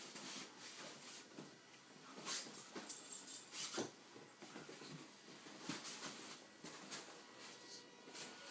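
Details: Tamaskan dog Zephyr at play with Noque, a 15-week-old Alaskan Noble Companion Dog puppy: irregular clusters of short, breathy huffs and scuffling growly bursts, one brief high thin whine, over a steady low room hum.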